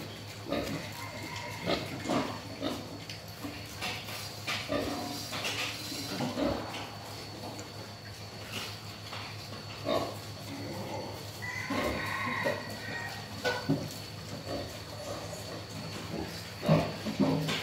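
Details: Wild boar behaving mischievously, uttering many short grunts and snorts in irregular clusters, a few louder harsh grunts standing out, with a steady low hum throughout.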